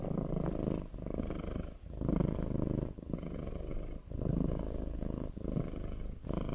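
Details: Low, continuous cat purr pulsing in rhythm with breathing, with dips about every second as the cat breathes in, then a fresh rumbling surge.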